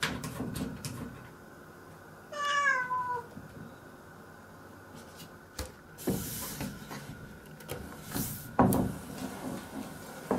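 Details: Nora, a house cat standing on her hind legs and asking for the door to be opened, gives one drawn-out meow that starts high and slides downward. Scraping and knocking sounds against the door follow.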